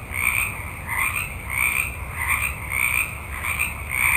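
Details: Night forest with a multitude of frogs croaking together. Rhythmic, rasping bursts rise and fall about every half second in a steady throbbing pulse over a faint low hum.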